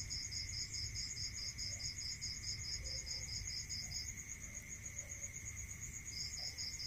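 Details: Night-time cricket song in a rural setting, a long train of rapid high chirps for about four seconds, a pause, then chirping resumes near the end; continuous shrill trill and steady lower tone persist throughout.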